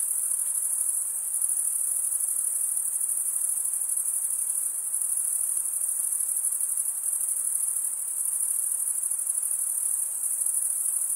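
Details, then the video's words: Unbroken high trill of stridulating male crickets, wing teeth scraped by the opposite wing, forming a dense metallic ringing that stays level in pitch and loudness from start to finish. "Most relaxing cricket sound for 8 hours"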